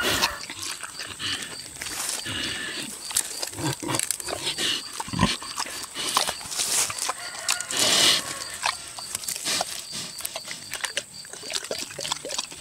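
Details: Boar pig, six years old, eating tomatoes: steady wet smacking and clicking chews, with a louder rough burst of mouth noise about two-thirds through, over a faint constant hiss.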